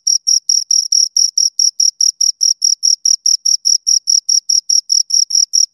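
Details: Close-range chirping of two crickets: short, shrill, evenly spaced pulses roughly four per second, each a crisp high buzz, against complete quiet.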